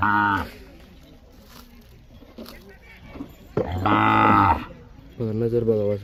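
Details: Bullock calling with three separate low moos: a short one at the start, a louder, longer bellow after a pause of about three seconds, then a third steady moo near the end, with quiet gaps between.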